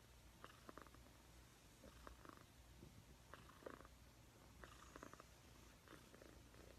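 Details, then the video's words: Cat purring softly, a constant low hum with short rhythmic breathy pulses roughly every second in a quiet indoor setting. "Cat purring compilation"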